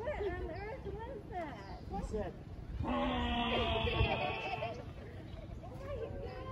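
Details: Kahlfani, a seven-year-old male Grevy's zebra at the Los Angeles Zoo, gives a harsh, buzzy, strongly harmonic bray lasting almost two seconds in the middle, while people's voices chatter before and after.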